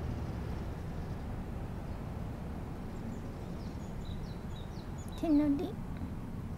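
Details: Maine Coon cat Kira greets his owner on her first reunion after she comes home from hospital. After quiet indoor hiss, a short, low, bright trilling chirp sounds near the end. Faint birds twitter in the background.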